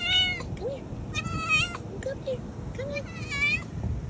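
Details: Kitten, sister of a cat named Kiwi, back after missing for 10 days following a snowstorm, giving loud meows on her return: several drawn-out, harmonic-rich meows, some rising and falling, spaced about a second apart, with a person calling her over.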